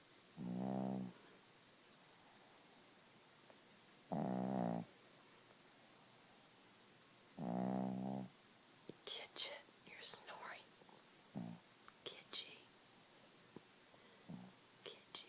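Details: Gidget the Chihuahua snores while asleep: three low, rasping snores spaced about three seconds apart, then a person's whispered talk and small clicks take over.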